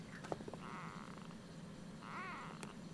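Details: Nearly four-week-old Siamese kitten Ursa, roused early in the morning, makes a soft drawn-out mew followed by a short arched meow, over quiet room hum and small handling noises.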